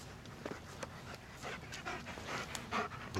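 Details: Sam, a German Shepherd, panting after working out a route around a fence; breathy puffs come roughly twice a second but less evenly, with some soft footstep-like thuds beneath.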